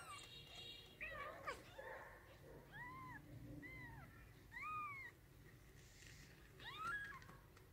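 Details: Kittens just born in a clothes wardrobe mew repeatedly, short high arched cries roughly every second, some louder and sharper, with faint rustling beneath in a quiet indoor setting.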